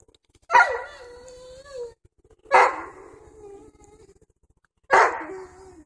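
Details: Dobermann puppies, seven weeks old, romping and playing outside on a fall afternoon; three loud, sharp yelping barks about two seconds apart, each with a harsh onset that slides down into a drawn-out whine.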